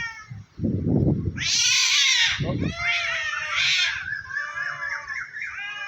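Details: Two cats, a white one and a black one, facing off atop a tree in a threatening fight; loud, strained, wavering yowls dominate, rising into shrill peaks, with brief human voices underneath.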